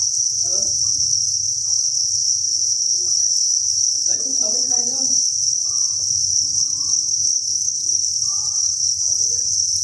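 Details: Crickets by the thousand at a cricket farm produce a constant, intense high-pitched chirring wall of sound, unvarying in pitch and loudness, with brief faint low rustles and murmurs beneath.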